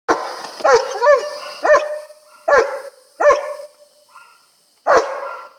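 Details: A German Shepherd, restrained during a bath, gives loud, deep barks in short bursts, some doubled, about every second, frustrated and aggressive as the neighbour's Vizslas run around outside.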